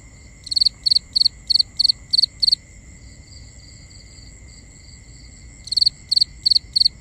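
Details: Night cricket chorus: a run of seven rapid three-pulse chirps, then a pause of about three seconds with only a faint high hum, before four more chirps resume in the same steady rhythm.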